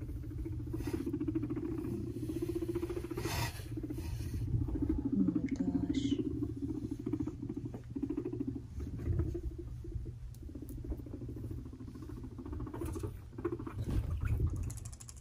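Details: Pet guinea pigs, two five-month-old brothers named Fluffy and Cocoa, scuffling in a fight; a long stretch of low buzzing rumble with fast irregular pulses, scattered clicks and scrabbling, a brief high squeak near the middle.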